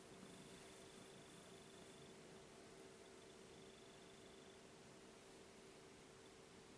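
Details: Kitten indoors wanting to be petted, purring in a soft, steady low rumble that swells and eases with its breathing, over a constant electrical hum in a quiet room.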